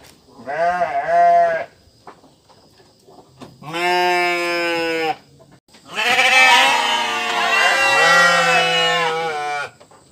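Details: Sheep bleating in three separate bursts: a short wavering bleat, then a steadier one of about one and a half seconds, then a long quavering bleat lasting around four seconds, with quiet pauses between.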